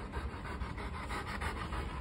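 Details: A Rottweiler, pet dog indoors searching for his hidden ball, pants in quick breathy bursts repeating several times a second, with a low steady hum underneath.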